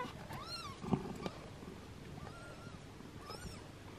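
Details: Six-day-old kittens being groomed and licked by their mother; a few thin, arching mews spaced apart, with a soft click and a low purring hum underneath.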